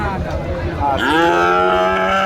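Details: Young bull at a rural cattle haat in Joypurhat, Bangladesh: a moo sweeps sharply upward, then settles into a steady, sustained low bellow. Buyers and sellers talk nearby.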